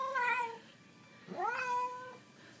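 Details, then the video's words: Hungry Siamese cat meowing indoors: a short falling meow, a pause, then a rising-then-level drawn-out meow, while a man offers food. "Talking Siamese is HUNGRY!"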